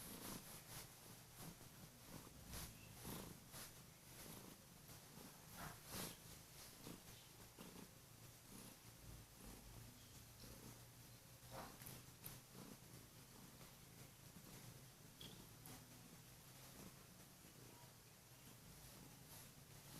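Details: Morning wake-up by a Kurilian Bobtail: the cat has jumped onto its sleeping owner's bed and purrs loudly while lightly biting hands, a continuous deep vibrating drone with rhythmic breathing pulses and scattered rustles in a quiet room.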